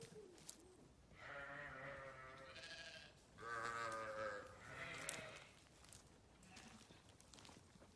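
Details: Sheep grazing on a farm give two long, quavering bleats in a row, each lasting nearly two seconds with a rich, nasal tone and a short pause between them. Quieter field sounds fill the rest.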